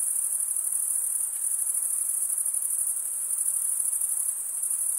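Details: Crickets chirping, a sound made as males rub the toothed vein of one wing against the other. A dense, high-pitched pulsing trill runs steadily without pause for the whole stretch, with no other sounds.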